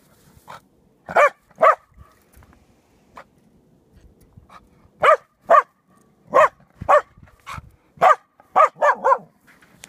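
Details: Six-month-old female Lab/Dachshund mix puppy, a former stray now in rescue, barking in short sharp bursts, single and paired yelps with irregular gaps, some barks clustered quickly near the end, quiet background between.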